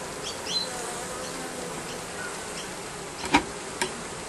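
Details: A continuous buzz of bees under roofing, steady and hissing, broken near the end by two sharp knocks or clicks.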